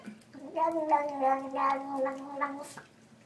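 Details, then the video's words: A domestic cat making a crazy, weird noise: a drawn-out, wavering, gargling moan held at a steady low pitch for about two and a half seconds, with small pulsing swells throughout, in a quiet indoor room. "Crazy Weird Cat Noises"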